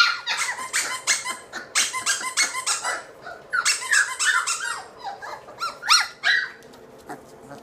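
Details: A litter of three-week-old British Labrador puppies, black and yellow, indoors in a nursery; dense, rapid high squeaks and yelps tumble over each other, a short lull near the middle, then more squealing.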